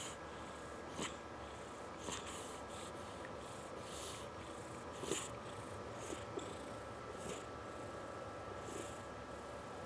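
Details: Dominic, a fat pet cat, snoring softly while napping: quiet breathy hisses return about once a second in an even rhythm over a faint steady background hum.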